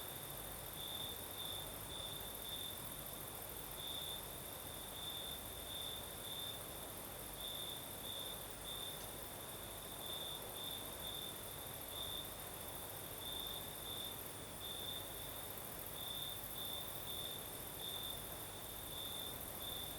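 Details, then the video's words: Crimean crickets singing at night in the south as a night breeze blows: rhythmic high chirp bursts repeating steadily, with a soft pause near the middle, over continuous windy hiss and a high background drone. "Звук ночи. Юг. Крым. Сверчки поют. Ночной бриз."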